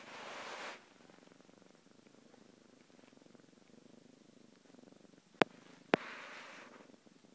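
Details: Cat purring with an even, low fluttering rhythm throughout. A rustling noise opens the recording, and two sharp clicks come close together near the end.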